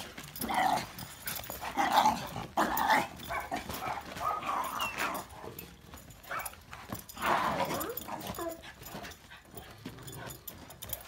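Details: Barking of a dog, a Dogo Argentino or a Cane Corso: a few harsh, spaced barks near the start, then quieter sounds and one more bark burst later, with faint background noise.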